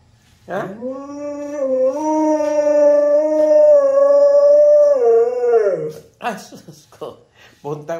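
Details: A talkative husky holds a long, steady howl for about five seconds, with a slight wobble in pitch, then lets it fall away and breaks into several short yips and vocal fragments.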